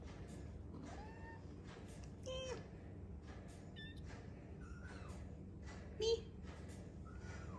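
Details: Arty's kittens mewing indoors, several thin, rising-and-falling high cries scattered among human voices speaking over a steady low hum.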